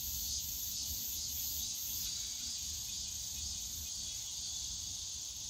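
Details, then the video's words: Cicadas calling in the bamboo forest of Yongsan Family Park on a summer day: a dense, steady high-pitched buzzing drone with a faint regular throb near the top, plus low park rumble underneath. "용산가족공원 대나무숲 매미소리"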